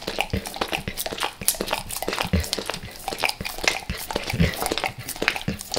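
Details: Max the dog working at peanut butter squares and peanut butter oil, recorded before he left El Paso; short bursts of wet smacking and licking, with a few soft low thumps between them.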